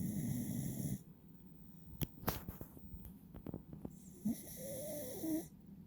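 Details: Beagle named Uiru (うぃるさん) snoring while asleep with eyes half open, dozing against its owner: a low rumbling snore for about a second, then clicks and rustling, then another rough snore, overlaid by a steady high electronic tone.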